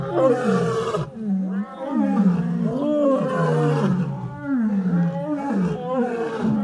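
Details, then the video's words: Lions roaring together in overlapping layers, deep moaning calls with rising and falling contours crowding one another almost without pause, loud throughout. "Lions Roaring Compliation"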